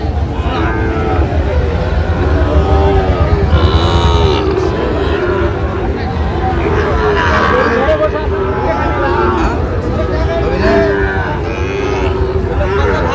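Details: Sahiwal bull calves at a cattle market in Barisal, Bangladesh, on 23 June 2025, where a farmer bought 32 calves; repeated deep lowing moos with arching tones rise and fall throughout, over steady crowd chatter and men talking.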